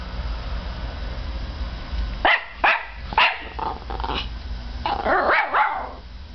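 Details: Peanut, a five-month-old Norfolk Terrier puppy, barking at a CD spinning up in a computer; a few sharp barks then a burst of rougher yapping with growly edges, over a steady machine hum.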